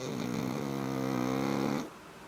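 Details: Black pug giving a single sustained, buzzy, layered snore of nearly two seconds that then fades into quiet.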